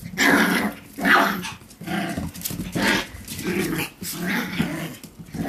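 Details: Energetic six-week-old Pomsky puppies, a Pomeranian and Husky cross, play indoors, giving rough, buzzy yelps and low grumbling growls in bursts about once a second, broken by short pauses and rustling.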